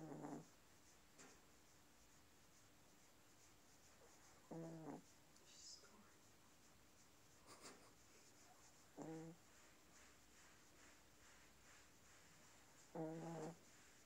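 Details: Chihuahua snoring indoors: short nasal rasping snores about every four seconds, each under half a second, with quiet breathing between and steady low hum in the background.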